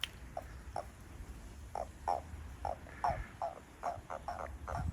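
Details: Toad behind a house, among others growing lively, giving short, hollow croaking notes that start slowly and quicken into a faster run toward the end. Low background rumble throughout.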